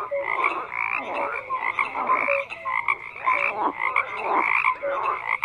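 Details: A crowded frog chorus: rasping croaks rising and falling in waves roughly every second, with brief whistled tones threaded through the overlapping voices.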